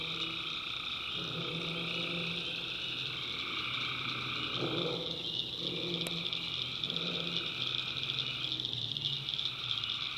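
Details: Tree frogs at night in a North Carolina swamp: steady high-pitched trilling chorus, with lower croaking notes rising and falling in the middle and a single sharp click partway through.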